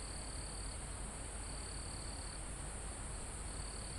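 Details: Live recording of crickets in a mountain forest almost at the summit: a sustained high-pitched insect trill breaks off and resumes in long bursts, set against constant soft wind noise through trees.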